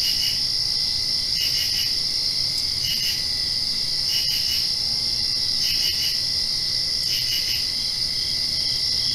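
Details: Crickets chirping in the dark just after a rain shower, with a continuous piercing trill and clusters of quick pulsed chirps every one and a half seconds or so.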